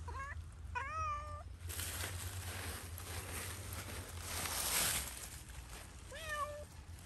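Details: Zoey, a domestic cat playing freely in Pushkin Park, gives three short meows, two close together at the start and one near the end, each bending up then down, over steady low wind and outdoor rumble.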